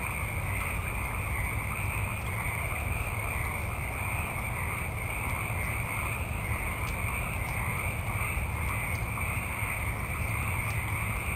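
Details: A multitude of frogs calling at night in a forest: a dense, unbroken chorus with a rapid pulsing trill high up and a steady droning band beneath, over a continuous low rumble of background ambience.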